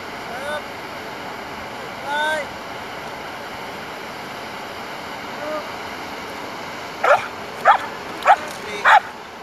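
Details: Belgian Malinois Asyong at bite work training: quiet, drawn-out voiced sounds at first, then four loud, abrupt barks in quick succession near the end.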